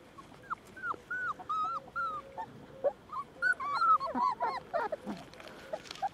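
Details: Border Collie meeting puppies, its future playmates, at a breeder's farm: a quick run of thin, high whines and yelps, each bending up then down, coming in uneven bursts with short squeaks overlapping.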